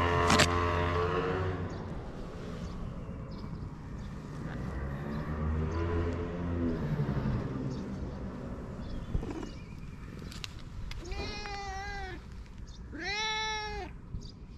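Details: Fluffy cat in Japan: after a long stretch of low rumbling noise and shuffling, two arched, tonal meows come near the end, the second clearer and slightly longer.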